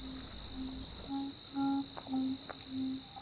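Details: In a backyard in late August, Carolina ground crickets, bush katydids and tree crickets keep up a dense, continuous high shimmer of buzzy trills, while a wind instrument plays low held notes and short phrases along with them.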